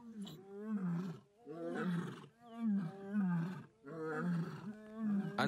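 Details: Early morning on 15 July 2020 at Lion Sands, lions from a pride in Kruger National Park roar in repeated low, resonant, moaning bursts after vocalising through the night from several directions.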